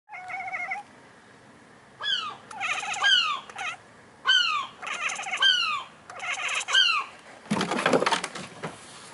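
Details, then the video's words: Domestic cat chattering at a seagull next door, a string of rapid, bright, falling chirps and twittering bursts in short groups, ending with a loud rushing flurry, possibly wings or movement, as the gull flies toward her. "The Cat Chattering To A Seagull"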